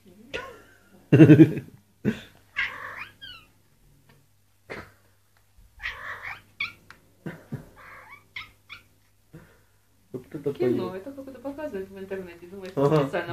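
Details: Male cat calling to a female: irregular series of short, bright meows and squeaky wails separated by pauses, building into a denser, throaty, wavering howl over the last few seconds.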